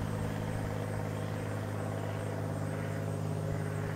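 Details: Honey bee swarm settled in a tree beside a house in Newcastle, Ontario: a dense, steady low hum with layered droning tones held evenly throughout, no pauses.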